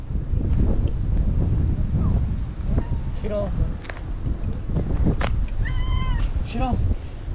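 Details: Pair of stray cats, one white and one black-and-white, walking side by side at a port in Japan; a few short harmonic meows near the end over steady low rumble, with people talking nearby.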